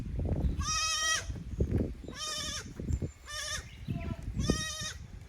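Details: Young goat kids from the lower pasture visiting the upper pasture at Yoshigake goat farm, Japan, 15 May 2024, hesitant in unfamiliar ground; four loud wavering bleats about a second apart, with low rumbling handling noise beneath.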